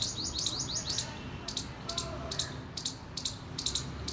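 A squirrel gives rapid, high-pitched chirps and sharp chips in uneven bursts.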